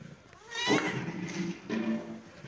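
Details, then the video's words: Kitten and cat playing in a happy mood, with two drawn-out, harmonic meow-like calls, the first longer and wavering, the second shorter, over faint background noise. "kitten and cat meowing"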